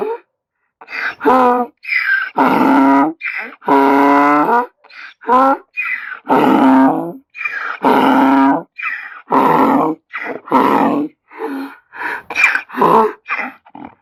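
A donkey brays loudly, alternating harsh, rasping honks with wheezy indrawn breaths.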